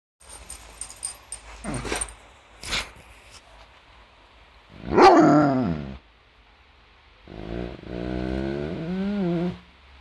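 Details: Doberman dog playfully attacking its owner while arguing over cuddles: a loud, sliding, harmonic whining yowl near the middle, then a longer wavering moan, with scattered thumps and clicks earlier.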